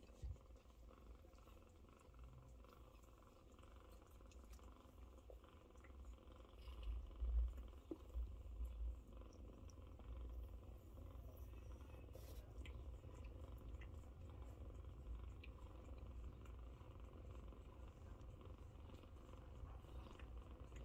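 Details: A long, deep, even purr from nursing Scottish Fold cat Chloe while her kittens jostle for milk; soft rustling and faint shuffling sit over the low rumble, which swells slightly midway.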